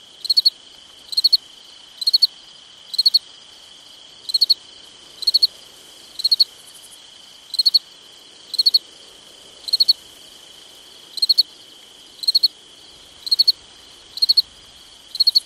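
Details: Cricket on a summer night, chirping steadily: brief high chirps of three or four rapid pulses roughly each second, with a continuous high insect hum underneath.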